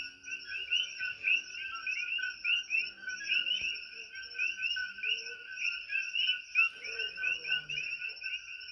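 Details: On Hawaii's Big Island, a dense all-night chorus of invasive coqui frogs, each giving a sharp, rising two-note chirp over and over.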